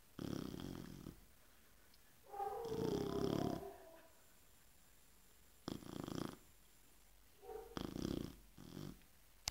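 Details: Female Chow Chow snores loudly in her sleep after an afternoon of play, coarse rumbling rasps, some wheezy and whistling, one to three seconds apart; owner says she is struggling to breathe.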